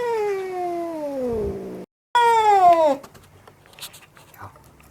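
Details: Very angry house cat screaming: a drawn-out wail sinking steadily in pitch, a brief silence, then a louder, shorter cry that also falls away. Faint knocks and rustling follow.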